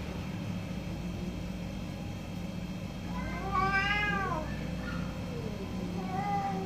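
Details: One of two orange cats meows during a morning dispute: a single arching cry rising then dropping, a shorter call at the end, over a steady background hum.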